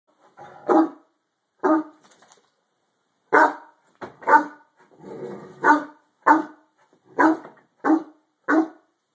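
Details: Harlequin Great Dane indoors barking at something under the bed, a series of loud, deep barks in irregular bursts about once a second, with some softer grumbling between them.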